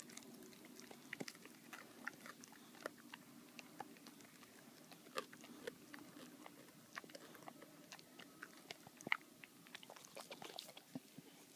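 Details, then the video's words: Baxter, a boxer dog, gnawing his bully bone indoors in a small room; scattered sharp clicks and crunches of chewing, irregular and quiet, over a low steady hum. "Baxter the boxer dog loves his bully bone"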